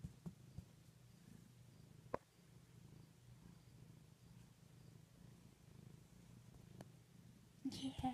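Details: Low continuous purring from a cat asleep against a knee, with a few sharp clicks and a burst of speech-like noise at the very end.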